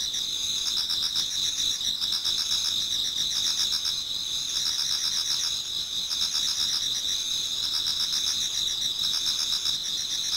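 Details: Towards dawn in autumn, a Japanese garden full of singing insects: bright high trills running without break, a beaded pulsing band above a steadier whine, forming a thick, even chorus.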